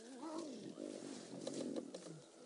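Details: Lions of the Styx Pride, with all eight cubs, on a fresh kill on 26 August 2016 as a male approaches the carcass; strained, wavering snarling growls with harmonics pulse throughout, while a faint human voice is heard.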